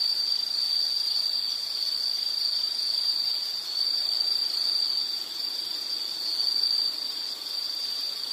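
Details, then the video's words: High continuous insect trill used as soothing nature sound, nearly unbroken with gentle swells in loudness, faint second tone above, quiet background hiss. "Nature Sound of nature sounds scenery L · insect"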